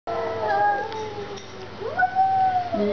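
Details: Domestic cat Mimi confronting a stray cat outside, jealous over her leftover food given to it: long, wavering, drawn-out yowls, one sliding up then holding steady, ending in a lower tone, with faint voices in the background.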